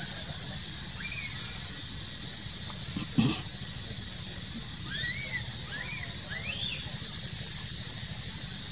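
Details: Infant macaque named Quinton cries after his sister monkey handles him roughly in a park; a short run of arched, wavering squeals comes late, after a brief low thump, with steady hiss and hum behind.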